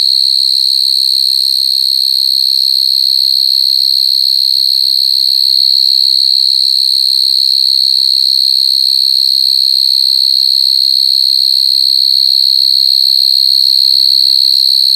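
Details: Crying coconut crickets give a constant, shrill, pure-toned drone, perfectly steady for fifteen seconds, with higher harmonic shimmer. Only a faint low pulsing sits in the background.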